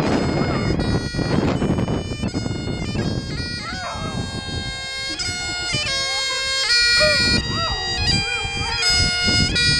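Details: A dog howls in time with bagpipe music, giving a series of looping, up-and-down howled notes over the pipes' constant drone, while rough background noise fills the opening seconds.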